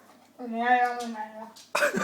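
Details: Ronnie, a female pet dog, 'talking' while chewing during a casual indoor moment, recorded on an iPhone: a sustained, tonal, moaning vocalization held for over a second at steady pitch, then a sudden noisy burst. A woman speaks Bulgarian around it.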